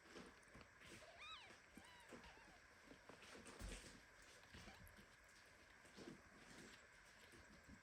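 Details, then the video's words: A premature kitten, squeezed tightly in a hug by its mother cat Ginny, gives two short, thin, high rising-falling meows in indignant protest, with soft rustling and low household noise underneath. "Mother cat hugs premature kitten so tightly that he starts meowing."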